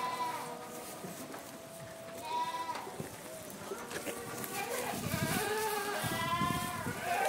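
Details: Bleating from a herd of Boer and Saanen breeding goats: overlapping quavering calls, some short and some long and wavering, growing denser and louder toward the end, with faint human voices mixed in.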